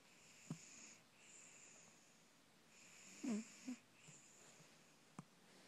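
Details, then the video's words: Soundly sleeping pet cat Coco snores in a quiet room, with airy wheezing breaths roughly every second and a couple of short snorty catches midway. "Coco snoring"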